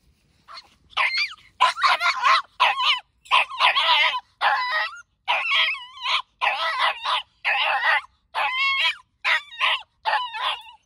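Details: Three-month-old Patterdale terrier pup confronting a caged rat for the first time, barking steadily: about fourteen sharp, high, rasping barks and yips, evenly spaced roughly every two-thirds of a second with brief silences between.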